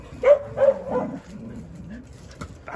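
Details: Jindo dogs on a winter Saturday morning in December; two sharp, high whimpers in quick succession slide into a longer, wavering whine that drops in pitch and fades, followed by faint rustling.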